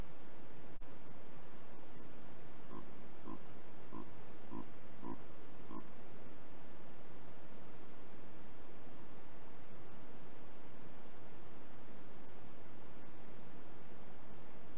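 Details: Chacma baboon, alpha male, recorded by trail camera on 29 May in the KwaZulu-Natal midlands, comfort-grunting at his infant: about six brief, low, throaty grunts half a second apart, then only steady background hiss.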